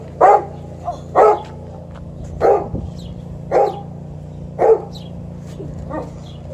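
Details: Liza, an Alaskan Malamute, greets her younger human sister home from a riding lesson with six short, deep woofs spaced about a second apart over a steady low hum.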